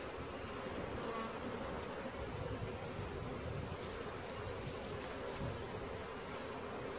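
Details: Honey bee swarm being caught: a dense, steady droning hum of many bees, even in loudness throughout, with faint scattered higher buzzes overhead.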